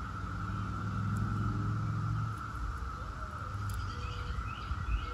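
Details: Brood X periodical cicadas, the 17-year kind, keep up a constant even drone while a vehicle rumbles past early on and a few soft bird chirps come near the end.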